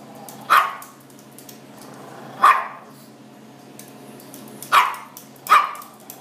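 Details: A Chihuahua mix barks at a blue lobster in a fish tank, four short yappy barks at uneven gaps, the last two close together, over a constant low aquarium hum.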